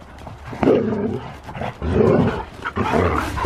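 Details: Siberian Husky excited in the snow during a zoomies romp, letting out three loud, drawn-out, rough vocal bursts about once a second over a constant background rumble.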